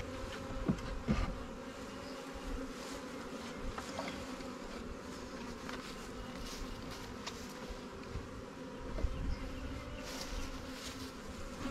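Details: Low, even drone from a freshly caught honey bee swarm housed in a Warre or Langstroth hive; a constant humming with occasional faint clicks and light rustles of the frames.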